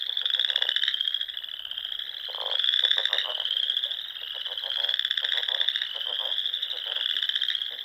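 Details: Frogs calling together at dusk in spring in the Sandhills of Nebraska, near ponds in rolling dunes: an unbroken wall of high, rapidly pulsed trills with overlapping voices and gentle swells in loudness.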